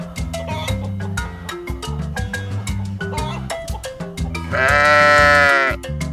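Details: Lamb bleating: a single loud, sustained, wavering bleat lasting about a second near the end, set against continuous background music with steady beats and piano-like notes.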